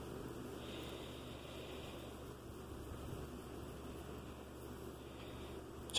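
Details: Quiet indoor room tone with a faint steady hum and a soft click at the end, with no animal voice audible.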